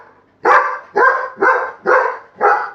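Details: Buddy, a pet Labrador Retriever, barks on command to wake his sleeping father: five loud, hoarse barks spaced about half a second apart, each sharp at onset and trailing off, with a clean quiet background.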